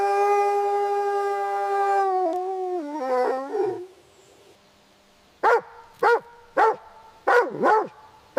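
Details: Puppies playing on green grass; a long, steady, harmonic howl that wavers and slides downward, then falls silent before five sharp barks spaced about half a second apart.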